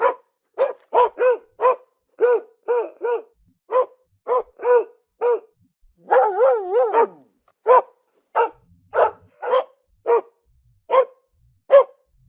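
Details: Household dog barks in a long rapid series of more than twenty short barks, broken midway by a drawn-out, wavering yelping whine before the barking resumes; background otherwise silent.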